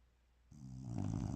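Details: Sleeping bulldog beginning a peaceful snore, a low rasping rattle that swells steadily louder.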